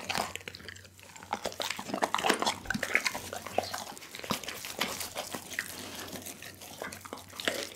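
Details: Pit bull eating a whole raw chicken indoors, recorded close up on a 360 action camera. There is wet, crunchy chewing with sharp cracks of bone and irregular clicking bites, and a faint low hum behind it.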